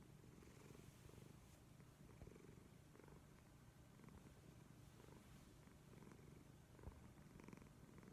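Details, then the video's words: Leo, a house cat, snores as he sleeps: a deep, even rumble underlying gentle rhythmic breaths that rise and fall every couple of seconds, with a brief click near the end. "leo snoring"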